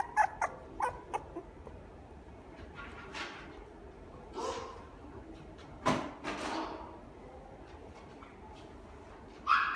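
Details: Toy poodle at the Inu no Ie pet shop's Fuji store: a quick cluster of short, sharp yips opens, followed by scattered brief whimpers and squeaky whines over quiet indoor background hiss.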